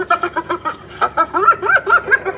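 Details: Hyena laughing: a rapid giggling series of pitched notes, about five per second, that bends up and down in pitch toward the end.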